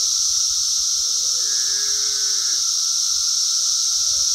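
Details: Farm cicadas recorded in 2016 keep up a loud, continuous high shrilling hum. A drawn-out tonal whine rises and falls in the middle.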